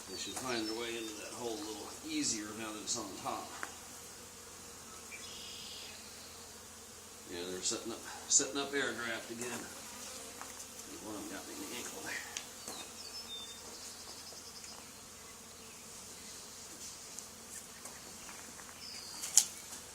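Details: Honey bee swarm settled on the wall of an old barn, where a hive had been cut out two days earlier, during removal: a steady, low droning hum throughout, with human voices talking over it in the first half.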